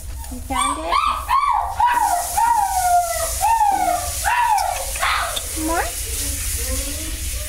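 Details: Mother dog with her puppies at a shelter; a quick series of high, arching whines and yelps rising and falling about twice a second for some five seconds, then fading, with a person's encouraging voice and background hiss.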